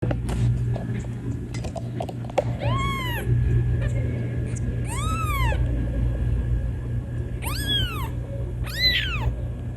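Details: Kitten meowing loudly to call its mother: four clear, arched, high meows spaced about two seconds apart, each rising then falling, over a steady low hum and faint clicks.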